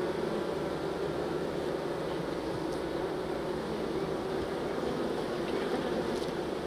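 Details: A steady, rumbling hum from many honey bees as they are moved out of a nuc into their new hive, with faint light ticks in the background.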